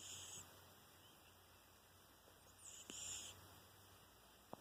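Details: Ruairí, a kitten about seven months old with a bit of a deviated septum, makes little snores: two short hissing, whistly breaths roughly three seconds apart, faint against a quiet low hum.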